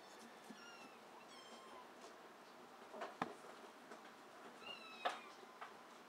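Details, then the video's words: Rescued Abyssinian mix kitten indoors giving thin, high meows: a faint one early, a few soft short calls, then two brief sharper calls near the third and fifth seconds; quiet room background. "Abyssinian mixed rescued kitten"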